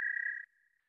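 An American toad gives a steady, high-pitched musical trill that cuts off abruptly.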